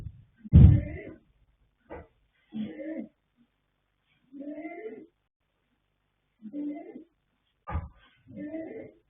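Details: Foal Yanta, a colt born 21 January 2026 to Fast Force and Pink Blossom, snoring asleep: scattered hoarse, wheezy breaths of varying length, interrupted by a loud low thump near the start and sharper knocks.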